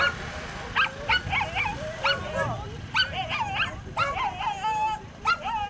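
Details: Female Whippets at a 2019 race, second heat; rapid bursts of shrill yips and bent, wavering whines come in clusters, over a low murmur of people talking.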